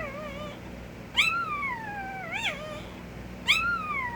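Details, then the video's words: Puppy whining: three high-pitched, wavering cries, each starting with a sharp yelp and sliding slowly downward, separated by short pauses, with a soft constant hum underneath. "A Minute of Puppy Noises"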